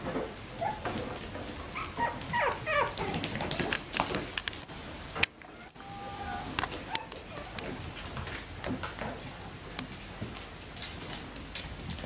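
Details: Kennel-raised Bichon Frisé puppies whimper and yip in brief, high bursts, loudest early on, mixed with clicks and handling thumps, then quieter rustling.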